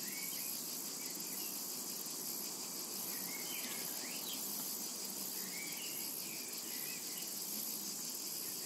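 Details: Summer meadow cicada ambience, a dense continuous high-pitched shrill drone at constant loudness, with short twittering bird notes weaving through the background.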